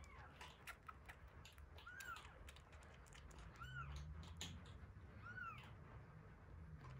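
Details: One-week-old kittens Terra and Towa at feeding time, Terra's eyes just starting to open; three thin rising-falling mews spaced about two seconds apart over a steady low hum and soft clicks.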